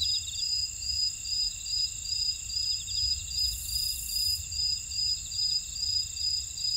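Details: Grassland insects singing in a Jeju buckwheat field, Ora-dong, Jeju City, South Korea: dense high ringing trills and a rhythmic pulsed chirp repeating twice a second, a short hissy burst midway, soft low rumble underneath.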